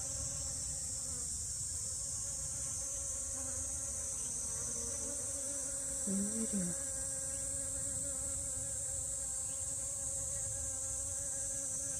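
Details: In a garden with allium drumstick flowers and portulaca, honey bees give a continuous low, even drone rich in overtones, with a louder wobbling buzz passing briefly midway over a constant high hiss.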